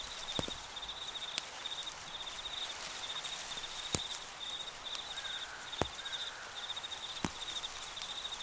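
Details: A cricket chirps in steady high pulses over soft rustling and occasional sharp clicks, in an autumn cornfield at sunset into night, with soft wind and corn leaves rustling.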